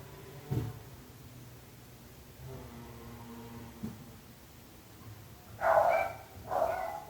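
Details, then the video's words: Neighbours' barking dogs: after several seconds of faint low murmuring and a soft thud, two loud, harsh barks come close together at the end. "26 minuts gossos lladrant / 26 minutes barking dogs"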